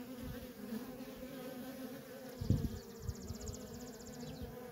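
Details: Steady drone of worker honey bees busy at a feral colony, with rumbling low thumps midway and a rapid high-pitched pulsed ticking in the second half.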